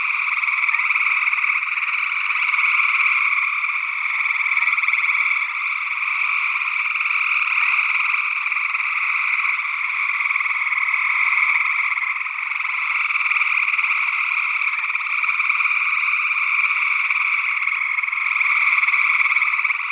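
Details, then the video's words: Chorus of gray tree frogs in Northwest Wisconsin, early June 2022, stereo ORTF condenser recording. Steady overlapping trilled calls form a continuous wall of sound that swells and eases slightly; a second, unidentified frog species is also present. "Gray Tree Frog Calls"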